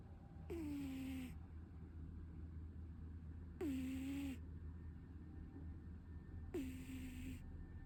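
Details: Sleeping Munchkin cat snoring: three breathy snores about three seconds apart, each a short hiss carrying a low whistled tone that dips and then levels off, over a steady low hum.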